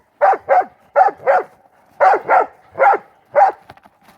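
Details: Pit bull mastiff brothers playing ball in the snow during the 2016 Maryland blizzard. Deep, loud barks come mostly in quick pairs, about eight in four seconds, with short pauses between bursts.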